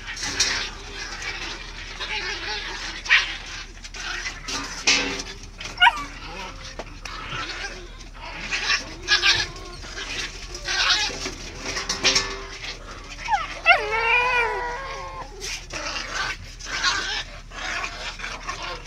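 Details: Two Samoyed brothers in an aggressive fight: continuous rough growling and scuffling bursts with snaps, a clear rising, wavering whine partway through, and a person's voice intervening.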